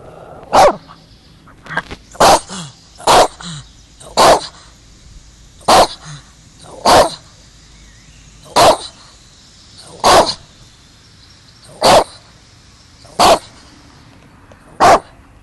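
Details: Bobi, a Shih Tzu who barks at once whenever he is filmed, gives a long run of about eleven loud, abrupt barks, roughly one every one to two seconds, with softer yips between and a faint steady hiss behind.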